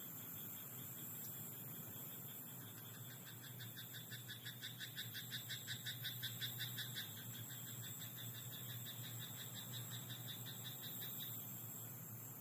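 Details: Frog croaking in a rice paddy at night: a quick run of rapid, evenly spaced clicking croaks, nearly three per second, swells mid-clip and fades, over a steady high-pitched background drone and low rumble.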